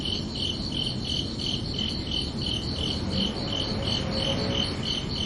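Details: ['Crickets chirping under a night sky on a summer evening: a steady train of high, bright chirps, roughly three each second, over a constant low background rumble.']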